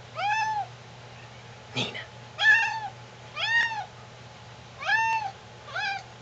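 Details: Domestic cat meowing for cereal and milk: five arched, harmonic-rich meows spread over six seconds, the third loudest, with a brief thump near two seconds and a faint steady hum underneath.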